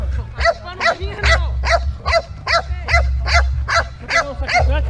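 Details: Pit Bull and Patterdale Terrier dogs playing together on a relaxed day; a run of short, harmonic whines and yips repeated roughly every half second, over a low rumbling background.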